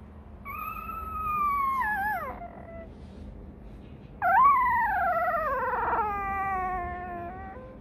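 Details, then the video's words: Crying Rottweiler puppy demanding milk, hungry: a falling whine fading out, a pause, then a sudden louder cry that swoops down and trails off into a long wavering moan, with faint hum behind. "Chó Kêu Đòi Sữa: Nghe Sao Thảm Thiết! Hungry! Where s Milk?"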